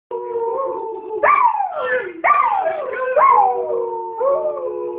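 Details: Pet dog singing, giving drawn-out howls that rise sharply then slide downward, several overlapping wavering tones repeated about once a second, with a steady lower held note running beneath.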